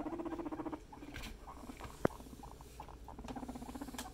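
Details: Pet guinea pig family, a male climbing on top of a female: low, pulsing, purring rumble in quick regular beats, fading midway and then returning, with a sharp click and brief voices nearby.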